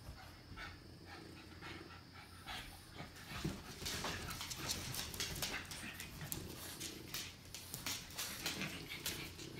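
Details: Playing puppies from 2017, heard as rapid, hissing pants, roughly a hundred bursts a minute. The breathing grows louder after the first few seconds over a steady low hum.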